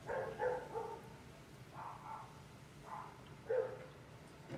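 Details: Domestic dogs barking in a neighbourhood around 1 pm while leaf blowers run nearby: several short, rough barks in quick pairs and bursts, separated by brief pauses, over a steady low engine drone.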